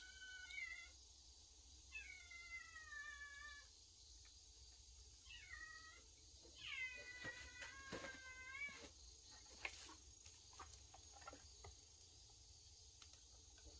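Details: Cats from a cat family living in a woodpile, recorded 25 August 2022; several clear, tonal meows with harmonics, some rising and falling, in bursts over the first nine seconds, then faint clicks and rustling against steady high-pitched background hiss.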